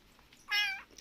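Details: Abandoned kitten found on the road and now being fed milk: one clear, high, flat meow lasting about a third of a second in a quiet room, faint voices around it.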